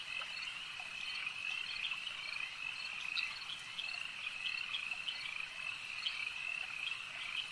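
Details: Lakeside frog chorus, a thick high-pitched drone of overlapping trills with brief, brighter clicks rising above the wall of sound at irregular moments.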